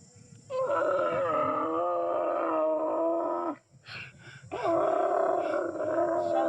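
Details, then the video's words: Dromedary camel in Ethiopia, growling while passengers try to catch it: a long, rough, harmonic groan of about three seconds, a short break, then a second sustained groan. "καμήλα που γρυλίζει"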